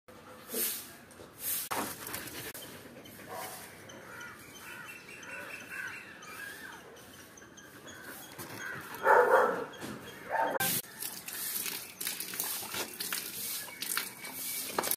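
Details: Rottweiler; guard bark; guarding the home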